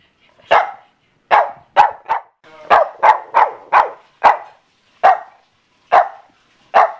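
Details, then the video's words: A Boston Terrier gives short, punchy barks, about a dozen in seven seconds, some spaced singly and some in quick pairs or triplets, each bark clipped and mid-pitched with little else in the background. "Dog Barking : Boston Terrier barking sounds"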